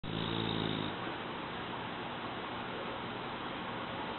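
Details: Mu, an eight-month-old male French Bulldog, asleep indoors: one buzzy, harmonic snore lasting under a second at the start, then only a soft steady hiss of room noise.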